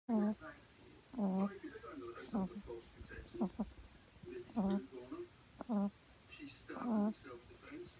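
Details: Sleeping French Bulldog puppy, female, on her second day home, lying on her back indoors and snoring: short nasal, tonal snorts in pairs, roughly once a second, with quiet gaps between breaths in a small room.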